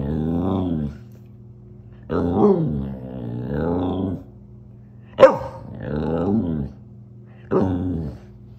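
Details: Fluffy Samoyed giving drawn-out low grumbling vocalizations, each about a second long and wavering in pitch, with one sharp bark near the middle; a steady low hum runs beneath.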